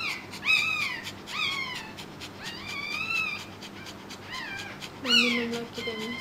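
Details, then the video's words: Newborn Pekingese puppy squealing during the birth of a second littermate; high, wavering mews come in short bursts with uneven gaps, and a lower, longer vocal sound joins near the end. "Pekingese New Born Puppy"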